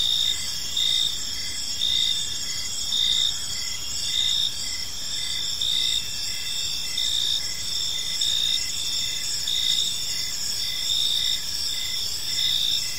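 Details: Crickets chirping in a peaceful park at evening, clear high-pitched pulses returning roughly once a second above a constant shimmering insect chorus and soft low background noise.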